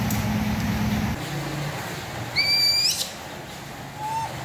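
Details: A baby monkey gives one high, clear, whistled cry over a low engine rumble, calling for its mother, who has gone out to buy milk and diapers on a rainy day.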